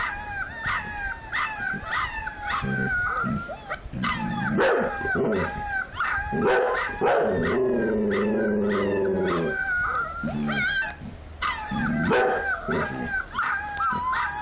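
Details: Several puppies howling together, high wavering howls with harmonics overlapping and rising and falling continuously, mixed with short yips and a deeper drawn-out howl around the middle; dense, almost unbroken chorus throughout.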